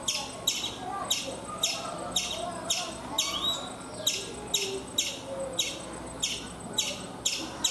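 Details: Chipmunk on a coconut tree in India giving sharp, high chips repeated steadily about twice a second, each a quick descending note, with a faint low murmur of background sound.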